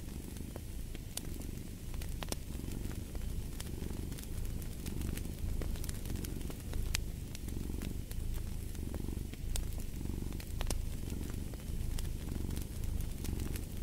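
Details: Domestic cat purring steadily: a deep, rumbling low buzz that swells and eases in slow breathing waves, with sharp pops and crackles from a fireplace scattered throughout.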